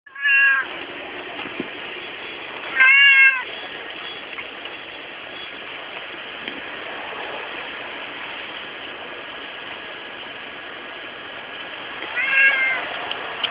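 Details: Domestic cat calling in the daytime: three short, harmonic meows near the start, middle and end, separated by long quiet gaps, over a steady background hiss.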